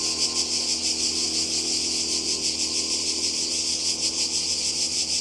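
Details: Summer cicada chorus on the Croatian coast in 2020: continuous shrill buzzing with rapid rhythmic pulsing, unbroken for the whole stretch, no other clear sounds.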